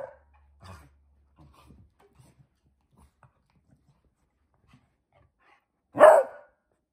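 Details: Pomeranian puppy born 20 August 2021, indoors at playtime in the same room as its brother: mostly quiet with faint rustles and soft knocks, then one sharp, loud bark near the end.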